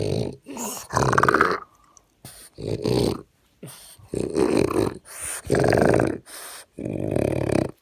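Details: A French bulldog suffering constantly from a breathing condition common in bulldogs breathes noisily and with effort, each raspy, snorting breath coming about every second and a half.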